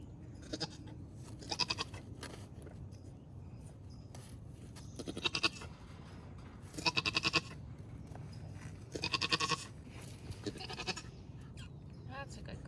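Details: Nigerian Dwarf dairy goat doe in Northern California giving birth to twins for the first time; a few loud harmonic bleats, each about half a second, come at irregular intervals over a low rumbling background.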